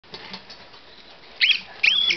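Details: Pet Gambian pouched rats, a female and a male, communicating with each other: after a quiet, hissy stretch, two short, high, sliding squeaks rise and bend, the second longer and wavering, heard about half a second apart.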